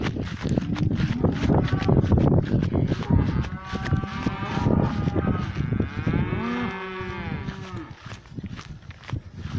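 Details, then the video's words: Several cows mooing in a pasture, long low harmonic moos overlapping, one rising then falling near the end, with rustling and snuffling close by as a black cow approaches for a sniff. "Cows mooing in the pasture."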